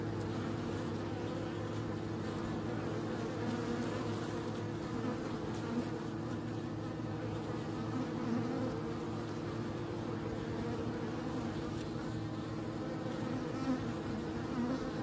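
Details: Continuous bee hum: a dense, even droning with steady low tones and faint flickers of individual wingbeats passing through, unbroken throughout.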